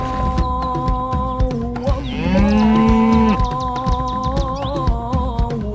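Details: Sacrificial cattle (sapi kurban) before slaughter: one drawn-out, low, steady moo of about a second, set against loud continuous background music.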